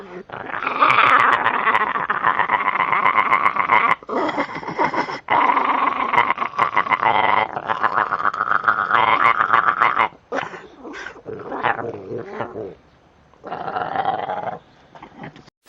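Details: Dogs or puppies making mixed, rough vocal sounds, grumbling growls blending into whiny, nasal yowls in long runs broken by short pauses, with a few quieter, higher whimpers toward the end.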